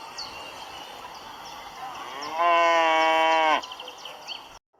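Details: A cow gives one full, steady moo lasting about a second, rich in even harmonics, over a constant background hiss with faint scattered chirps.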